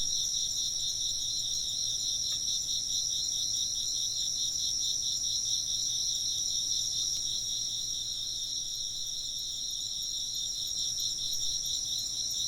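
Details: Chirping insects fill the scene with an even, high-pitched pulsing chorus, beats following quickly and steadily, over a quiet background with only a couple of faint clicks.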